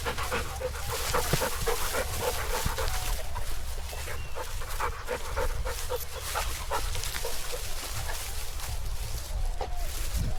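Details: Rottweiler named Shasha in a paddy field, breathing in rapid, rough pants that repeat throughout, set against a constant low wind roar.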